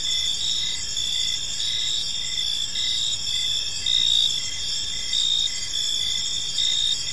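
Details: Crickets chirping at evening in a park, high sustained trilling bands joined by a repeated short pulsed chirp, the chorus swelling slightly in loudness now and then over quiet low background noise.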